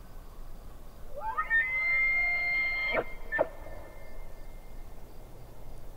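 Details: Elk by a lake, heard at a distance: a high whistled call swells upward and is held for about two seconds, then ends in two abrupt grunting bursts, over a low background rumble with faint rhythmic insect pulsing.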